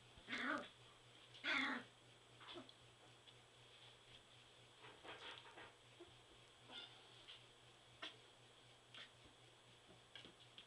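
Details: Three-week-old Border Collie puppies in their whelping box, two louder squealing whines early on, then scattered soft whimpers and faint squeaks at irregular intervals over a steady low hum indoors.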